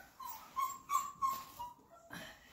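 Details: Flat-Coated Retriever puppies, 34 days old, during their first clicker training session indoors: a run of four high, thin whimpering cries in quick succession, each holding a steady pitch, followed by a softer trailing whine.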